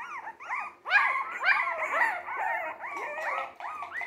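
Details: Three-week-old Jack Russell Terrier mix puppies, born 17 December 2020, howl in a run of arched, whining wails that rise and fall, overlapping and repeated almost twice a second, with a louder cluster midway.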